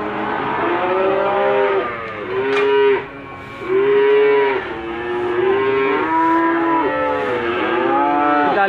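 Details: Limousin cattle at Gondanglegi livestock market, Malang regency, East Java, 12 February 2020, lowing repeatedly: a series of arched, harmonic moos, several overlapping callers, with crowd noise and a passing engine.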